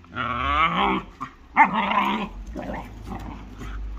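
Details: German Shorthaired Pointer and Jagd terrier fighting, heard as deep harmonic growls and snarls in two long bursts, then rougher broken growling fading under low background rumble.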